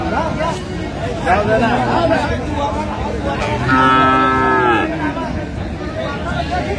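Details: Dairy cattle at the Aftabganj cattle market in Dinajpur on 17 June 2025, improved-breed milk cows and calves on sale; one drawn-out, harmonically rich moo near the end, softer lowing earlier, over steady crowd chatter and men bargaining.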